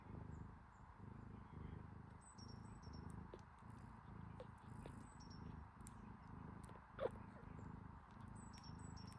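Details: A kitten nurses from its mother cat, making soft, steady, low rhythmic smacking pulses, about two every second, before falling asleep.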